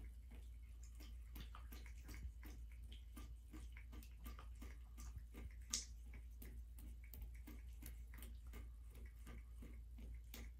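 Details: Black American Shorthair cat Midnight laps water from a turned-on tub faucet in the bathroom, recorded January 21, 2023: fast, even tongue clicks over constant low water rush, one louder splash midway.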